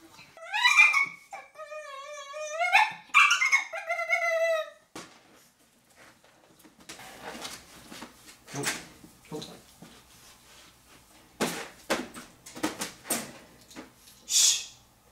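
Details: A Cane Corso puppy on its first night of crate training whines in the crate at night, with high, drawn-out cries that slide downward, followed by quieter clicks and rustles.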